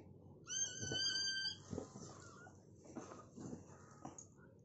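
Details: During a Rottweiler's first whelping, which produced nine puppies: one high, drawn-out harmonic squeal for about a second, then soft low rustling and faint voice-like murmurs in a small room.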